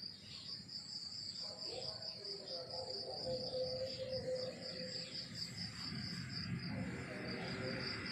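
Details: Crickets chirping in the countryside in the morning: a steady high-pitched pulsed trill, beats running together in quick succession, over a low background murmur and scattered mid-pitched sounds.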